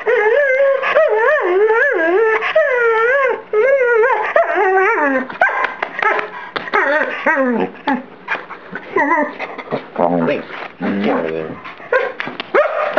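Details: Pet collie named DJ performing playful vocal antics: strongly harmonic, wavering whines and yodel-like moans rising and falling in quick repeated bursts, turning into choppier whimpers and yips toward the end.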